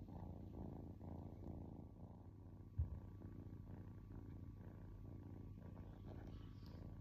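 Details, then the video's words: Kitten relaxing and purring: a soft, deep, even rumble with fine rapid pulses, broken briefly by a single sharp tap near the middle, otherwise calm and continuous. "Cute Kitten Purring"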